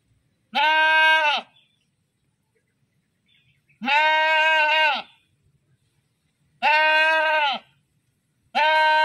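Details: Screaming goat giving loud, harmonic-rich bleats of about one second each, steady then dropping at the end, repeated roughly every three seconds with silence between.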